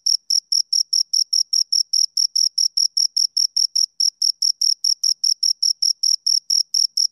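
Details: High, clean chirps from two crickets repeat quickly and evenly, roughly five to six pulses each second, a sharp rhythmic scraping with nothing else audible.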